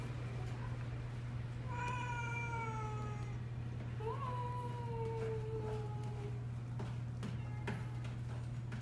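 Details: Cats playing with new toys: two drawn-out, slightly falling meows, the second starting with an upward lift, over a constant low hum with clicks and rustles of play.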